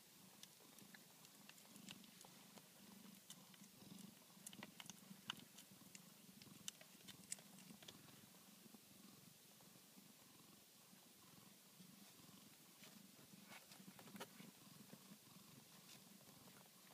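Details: Minerva's newborn Tonkinese kittens purring: an even, low throbbing purr carrying through the whole stretch, dotted with small clicks and soft movement noises.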